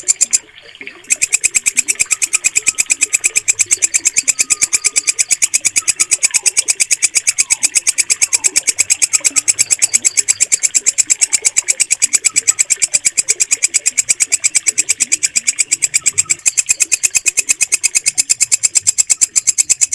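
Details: Bush cricket, known locally as walang kecek, with a stable, piercing song used as mastering material for pet birds. A continuous train of rapid, high, scratchy pulses follows a short opening pause, with soft whistled notes faintly behind.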